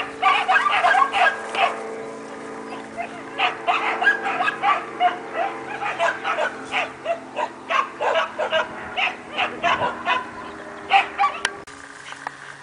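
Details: Two 4-month-old Siberian Husky puppies at play in a kennel, giving a rapid series of yips and bark-like calls, roughly three per second, with a steady hum underneath and a person speaking at the start.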